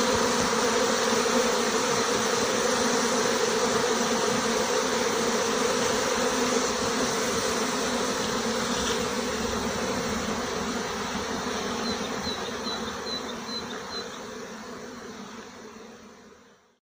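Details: Honey bee swarm leaving a six-frame nucleus hive together with its white-marked queen, a dense continuous buzzing hum of many bees with a steady low drone and broad hiss, fading out at the end.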